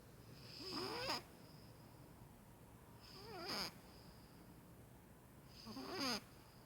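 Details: Pet Maine Coon cat caught snoring indoors in a small room: three drawn-out breaths about every two and a half seconds, each ending in a rising, raspy snore with a faint high whistle.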